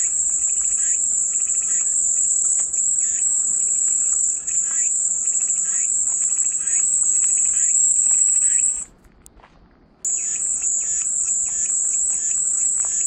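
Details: Steady high-pitched cicada buzzing heard as soothing ambience, running continuously for about nine seconds, dropping out suddenly for roughly a second, then starting again at full strength. Faint repeated chirps sound beneath.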